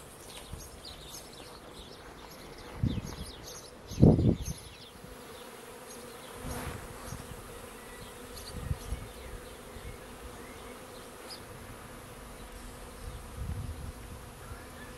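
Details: Honeybee swarm arriving at a bait hive swarm trap on 19 May 2021, the second swarm caught that year; a steady low droning hum from many bees, with occasional thumping bumps and faint bird chirps overhead.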